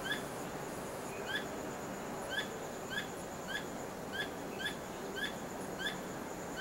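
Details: Squirrel calling after dark, tail wagging constantly, not trapped: a run of short, crisp chirps with a falling inflection, unevenly spaced, set against loud continuous background hiss.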